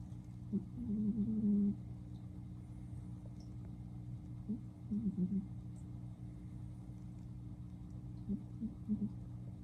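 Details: Female blue Somali cat, spayed, snoring while asleep at home, captured on an iPhone 12 Pro Max; a drawn-out low snore, then shorter soft rasping breaths a few seconds apart, under a steady indoor hum.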